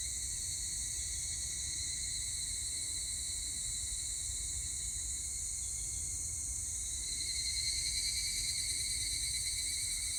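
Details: Higurashi cicada chorus taped 25 July 2019, a continuous high metallic ringing that grows louder and shifts slightly in tone about seven seconds in, layered over faint low-frequency rumble.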